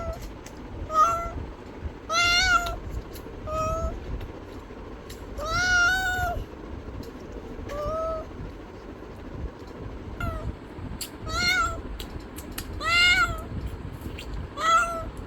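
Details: Domestic cat giving a series of meows, some longer and bending downward, others short, with gaps of varying length and a constant low hum behind.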